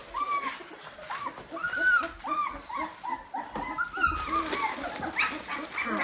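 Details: Litter of Dalmatian puppies at day 17 indoors, rapid series of short arching whimpers repeating about twice a second, several pups overlapping, against a background hiss and faint human sounds.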